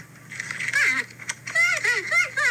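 A porcupine gives a series of whiny, wavering cries that rise and fall in quick, expressive bursts.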